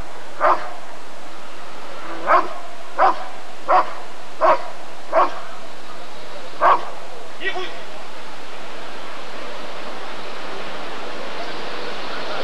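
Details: Rottweiler barking at the 1994 ADRK Körung breed survey: a string of eight sharp, loud single barks spaced roughly a second apart, fading to a softer last bark, with steady background crowd noise.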